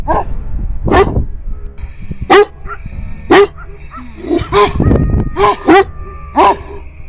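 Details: Livestock guardian dogs give a run of loud, deep, harsh barks, some single and some in quick pairs, at irregular intervals, answering coyotes stirred up by a noisy goat at about 2 a.m.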